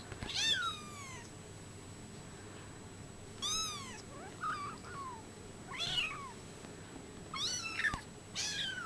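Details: Brown Bengal kittens, 24 days old, give high, thin mews in short bursts: several bent, downward-curving cries a second or two apart, some overlapping, with quiet gaps between them.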